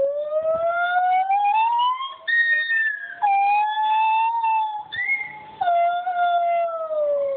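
White-handed gibbons sing long, clear, wailing notes that slide up and down, with voices overlapping.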